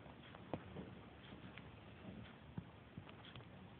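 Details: Riley, a Pungsan puppy 5.5 weeks old, hiccuping: short soft jolts near the start and again twice near the end, separated by quiet room hiss.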